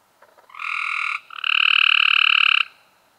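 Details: Cope's gray treefrog recorded in May 2016: two harsh, buzzy pulsed trills, a short one followed by a longer one lasting just over a second, with a faint click-like sound just before them.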